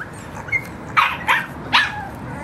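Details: English Bulldog puppies, a short run of three high, sharp yappy barks within about a second, preceded by a faint squeak, over a low steady background hum.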